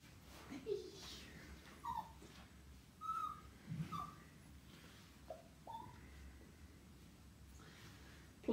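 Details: Demi, a little Toy Poodle puppy, playing indoors. A series of faint, short, squeaky whimpers and yips at irregular intervals over about six seconds, in a quiet room with soft background noise.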